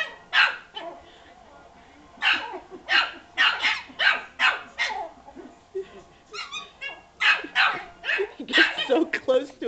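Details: Yorkshire Terrier angrily barking at a ball that hit him; a rapid run of shrill, high-pitched yaps, several per second, with one brief pause and a short whine partway through, and a person speaking softly.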